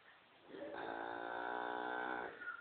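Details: Moo Ma, a Lineback cow that has learned to be very vocal, gives an unusually soft moo: one steady, even, humming call lasting about two seconds, recorded close by in a quiet setting.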